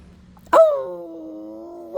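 A dog gives a sudden, sustained howl, a steady mid-pitched tone that wavers slightly and lifts at the end.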